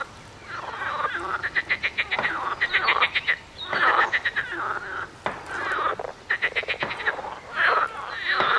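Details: A loud frog chorus: rapid pulsed croaks run together in rattling trains, overlapping one another almost without pause, with a steady rough texture through the whole stretch.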